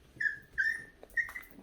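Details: Pet puppy Heukimja, excited by the smell and sound of food just before feeding, lets out four quick high-pitched whines, each a short thin tone rising and falling, packed into under two seconds in a quiet room.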